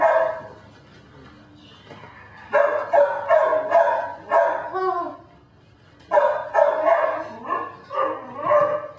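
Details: Belgian Malinois puppy Dinar, called Cricket, at a Mexican kennel, yapping in quick clusters of high barks with a few whiny rising yips, a quiet gap, then another run of barks.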